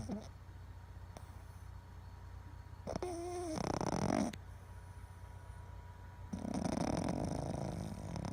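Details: Boston Terrier snoring while asleep and twitching: a brief whistling tone leads into a short rough snore, then a longer rasping snore after a quiet gap.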